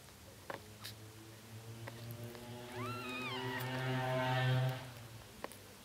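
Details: One-day-old Bengal kittens; a single high, wavering mew rises then falls over about half a second, followed by a low humming rumble and faint clicks in the background.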